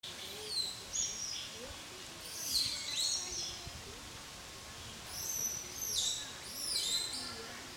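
A baby langur cries in shrill, high squeals that sweep downward, coming in short bursts.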